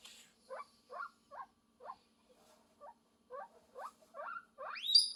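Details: Guinea pig call for love, heard as about ten brief squeaky chirps, each sweeping upward and spaced irregularly, closing with one loud, long rising squeal; a faint low hum runs beneath.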